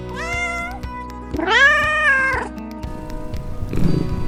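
Two domestic cat meows: a short rising mew, then a longer, louder arching meow, over soft background music.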